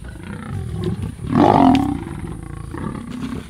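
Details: Sub-adult lions of the Kambula pride, twelve in the group, attacking a male leopard at MalaMala Game Reserve in Africa; a sudden loud, harsh snarling growl swells for about half a second amid rustling and quieter grumbles.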